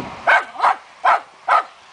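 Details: Fox terrier on a wild boar hunt gives four short, sharp barks in quick succession, evenly spaced, against faint background noise.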